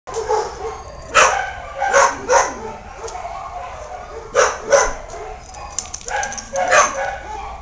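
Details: A Basenji up for adoption at a shelter gives short, harsh barks and yips in irregular bursts, sometimes in quick pairs, with quiet human voices and room noise between calls.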